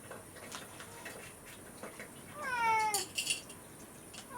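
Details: Rescued house cat indoors on a morning when breakfast is late, calling for food; a single drawn-out, falling 'naan' meow near the end, after faint tapping and household clicks.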